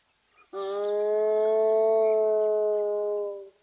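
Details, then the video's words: A spotted hyena gives a steady, drawn-out tonal moan lasting about three seconds, filmed on camera at Nkorho Bush Lodge in the fenceless Sabi Sands Reserve next to Kruger National Park, South Africa. "Spotted Hyena making its self heard at Nkorho"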